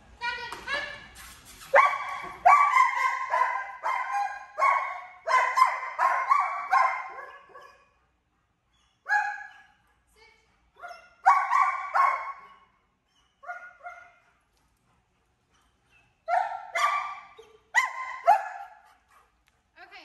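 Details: A vocal 10-month-old German Shepherd during obedience training in Georgia barks in rapid runs of clear, ringing, whiny barks, then pauses and barks again in shorter groups. Some speech comes at the start.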